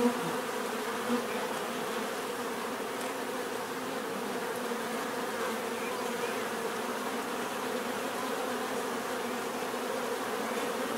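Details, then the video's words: Many bees hum together in a dense, even drone with strong low tonal bands, a brief louder pass at the start, then steady buzzing to the end. "bees therapy relaxing natural buzzing sound"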